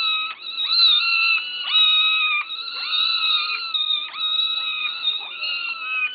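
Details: Hungry kittens begging for food: loud, insistent meows in quick succession, each a bright tone with a short downward-sliding start, calls nearly continuous and overlapping.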